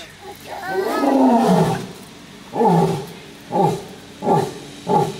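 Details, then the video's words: Lioness giving one long, low, moaning roar that rises and falls over about two seconds, followed by four short, hoarse grunts spaced about a second apart; a person speaks quietly nearby. "Lioness says...."NO!""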